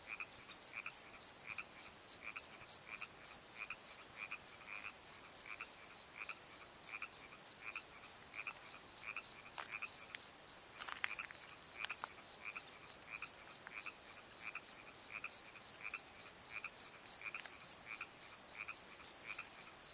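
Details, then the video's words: Nighttime crickets in a valley bottom keep up a continuous high pulsing chirp, about three beats a second, while lower croaking notes repeat throughout and a few brief louder sounds break in near the middle. "Crickets and Croaks! Pozo Night Tree"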